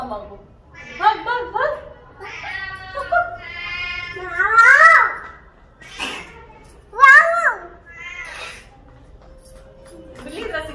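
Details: Talkative domestic cat meowing repeatedly, about eight drawn-out meows in eleven seconds, each rising then falling in pitch, some short and chirpy, others long and wavering, rendered as "mai aaun"; quiet pauses between calls.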